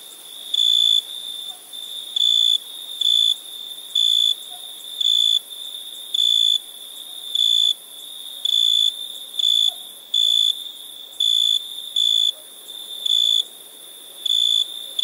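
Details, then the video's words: Night-time crickets give a steady run of high, pure-toned chirps, each burst under half a second, repeated about once a second for fifteen seconds with fairly even rhythm and a soft background hiss. "Relaxing Chirping Crickets"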